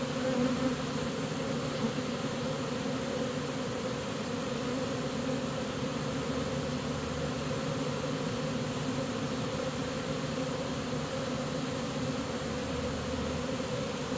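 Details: Steady buzzing of a honey bee swarm being caught and walking into a new home, a continuous even hum with a brief brighter note in the opening second.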